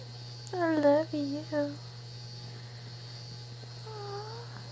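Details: A pet prairie dog, tired, gives three quick whiny, falling squeals, then one softer drawn-out note.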